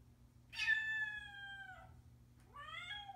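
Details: A male Bengal cat, keeping his owners informed of where he is and what he's doing, gives two clear meows, a long, slightly falling one and then a brief rising one.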